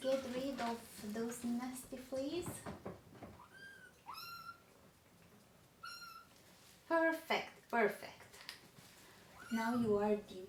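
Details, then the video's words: Crying baby kittens from a litter of three being dewormed with their mother. Clear, high, downward-sliding mews sit between stretches of human talking at the start and end of the passage. "Too MANY Crying Baby Kittens!"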